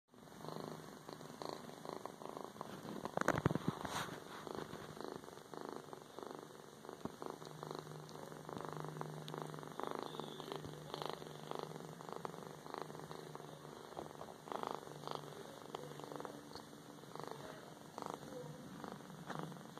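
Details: Young female kitten purring soon after adoption, a continuous low engine-like rumble running throughout, overlaid by scattered clicks, rustles and handling noises, with one loud bump early on.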